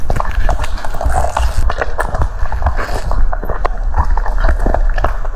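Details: French Bulldog eating cucumber indoors, a steady run of crisp, wet crunches and smacking bites packed closely together, each crunch sharp and brief, with low thumping mouth noise underneath.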